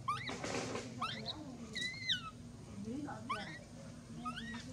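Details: Mila, a baby monkey mistreated and bitten by her mother, gives scattered high wavering cries, some rising then falling, over low background rumble and faint voices.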